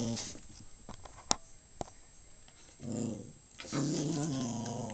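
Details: A household dog of uncertain breed, possibly Maltese or Shih Tzu, growling: faint hiss and a few clicks at first, then two stretches of low, rumbling, droning growl in the second half.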